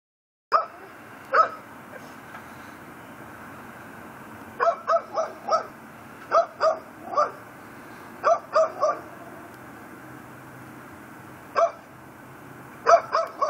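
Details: A neighbour's Pit Bull, tied up on a front porch in Chalmette, Louisiana, barks at 10:30pm on December 18, 2012 in sharp, deep bursts, often in twos and threes, over a low background hum; it reportedly barks around the clock.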